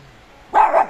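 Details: Jack Russell Terrier, one of two named Treisy and Azzuro, playing with a broken fork, gives a single sharp bark lasting about half a second, loud and mid-pitched against a quiet background.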